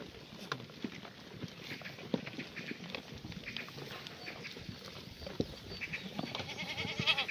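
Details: Black goat at a free-range farm near Gimhae, South Gyeongnam, sunny June morning; steady farmyard rustling and shuffling, then a trembling, buzzy bleat in the last second, faint bird whistles behind.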